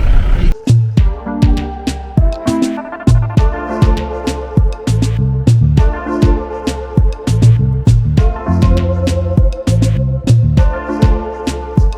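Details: Loud rhythmic funk-style music with drums and bass throughout, and no animal sounds.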